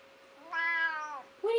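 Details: Female pet cat that complains loudly when upset answers a scolding with a single rich, drawn-out meow that holds steady and tails off, followed straight away by the owner's voice starting to speak.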